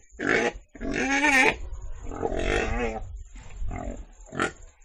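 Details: Pig making a series of short nasal grunts and oinks, some with a wobbling, rising-falling tone, over a low rumbling background and a faint steady high hiss.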